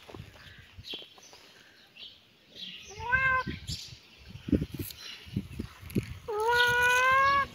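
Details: Outdoors in a yard where a kitten and cat play, a short faint meow, scuffling and rustling noises, then a louder sustained, slightly wavering meow at the end.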